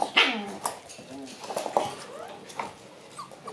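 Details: A Shiba Inu whines and grumbles in short, wavering, rising and falling whimpers, about one every second or so. The first is the loudest, and the rest fade to softer squeaks.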